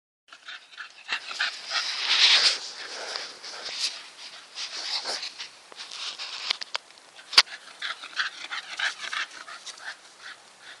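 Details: Staffordshire Bull Terrier breathing in quick, breathy, hissing pants, irregular in loudness, with a sharp click near the middle.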